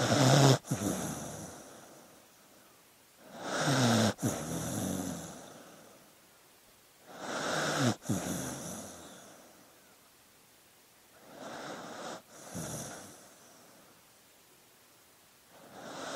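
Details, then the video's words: A dog asleep breathes in loud, raspy, snore-like bursts about every four seconds, each lasting roughly a second, with quiet pauses between and no other sounds. "Sleeping Dog Sounds"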